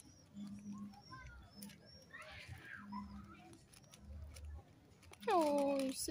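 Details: Tiny baby kitten and its mama cat, being fed on a hot summer's day; soft speech and faint rustling give way at the end to one loud, clear meow that slides downward in pitch.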